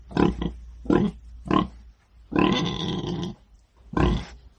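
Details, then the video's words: A pig grunting in short, throaty bursts, a few quick grunts followed by one longer, rougher drawn-out grunt and a final short one. "IL VERSO DEL MAIALE | PIG SOUND"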